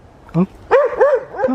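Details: Adriano, a West Highland White Terrier, on a winter morning in a village garden at Hoat Wala, South Punjab, Pakistan: a short tonal yelp followed by three arching, rise-and-fall whiny barks, with a brief human voice early on.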